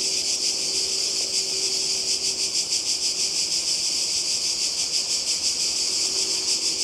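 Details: Cicadas calling by the sea in Croatia in summer 2020: a dense, steady, hissing buzz, high and shrill, pulsing quickly and evenly throughout with no pauses, many insects blending into one continuous wall of sound.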